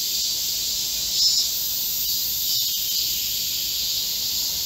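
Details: Korean cicadas singing together in a midsummer green forest amid a heatwave, 25 July 2024; an unbroken, hissing high buzz holds steady, with brief faint clicks and a slight swell near the middle.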